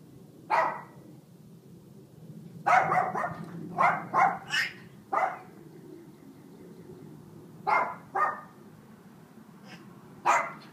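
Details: Household dog Mac barking in bursts despite Buddy, a 6-year-old African grey parrot, trying to hush him: one bark, a cluster of five quick barks, a pause, then a pair and a final single bark.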